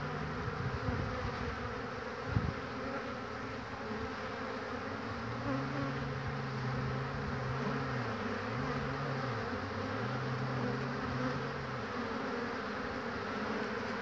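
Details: Honey bees crowding a hive entrance on 22 March 2019 in spring, many returning loaded with pollen and queuing to enter; a continuous low droning hum with individual buzzes rising and falling in pitch as bees fly past close by.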